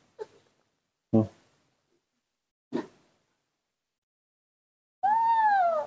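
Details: Newborn baby monkey, hand-reared, crying during difficult milk feeding: a single drawn-out tonal cry, arching up then falling, near the end, after three short soft knocks and rustles spaced about a second apart.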